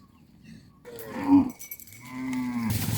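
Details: A cow being herded back to the farm pen gives a long, low, droning moo that holds steady before fading.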